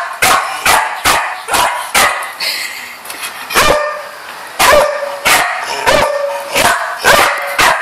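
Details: Dog barking loudly in sharp, abrupt barks, about a dozen in eight seconds, irregularly spaced with brief gaps and a short pause midway.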